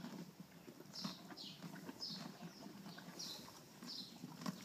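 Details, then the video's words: Off-track Thoroughbred mare born in 2006 with a severe roaring laryngeal disorder, after more than four weeks of steroids and antibiotics: harsh, breathy rasps recur about every 0.6 seconds over soft, low hoof thuds. "OTTB roaring after 4+ weeks of treatment"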